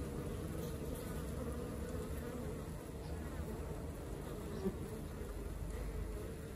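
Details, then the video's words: Working honey bee colony, soft continuous low hum with even loudness and a faint tick midway. "Xem đàn ong mật hoạt động như thế nào"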